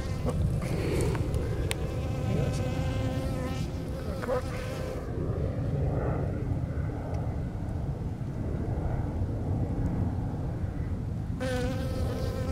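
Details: Older Western honey bee worker, lacking the fuzzy hairs of young bees, foraging on a dandelion in a field; a thin, steady droning hum rises and fades in the first seconds and returns at the end, under heavy wind rumble.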